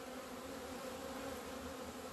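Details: Many honey bees flying out into the sunshine in February 2020 after two months shut in over winter, giving a continuous low droning hum that never breaks, with a fuller band just above it.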